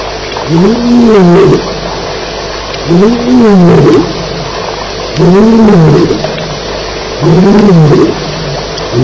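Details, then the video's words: Lion roaring at night at Elephant Plains on 9 July 2010, recorded around a fight between lions. Four loud, deep moaning grunts, each rising then falling in pitch and lasting about a second, come roughly two seconds apart over steady insect chirping. "Lions Fighting - Sounds at Elephant Plains"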